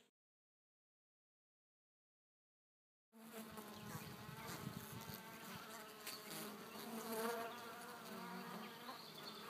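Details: Bees in June 2012, calm and mellow, a steady dense buzzing hum that begins after three seconds of silence, with scattered brief clicks and faint higher whines.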